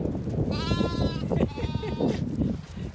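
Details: Ewes and lambs at their evening meal in a grassy field on a regenerative farm in County Kilkenny, Ireland. Two drawn-out bleats, the second slightly lower, over constant crunching and munching of feeding sheep.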